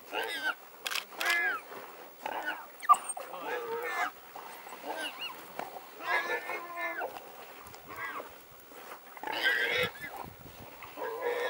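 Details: African wild dogs digging a warthog out of its hole, persistent in the hunt. High, harmonic squealing calls come in short, separated bursts with quiet gaps between them. Faint rustling is heard underneath.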